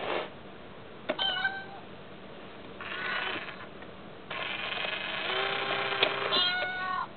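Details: Mayu, a pet cat indoors, seems disturbed by the tiny kitty of an Itazura coin bank toy. She gives several drawn-out, harmonic meows in a row, rising and wavering, with short gaps between them and a sharp click near the start.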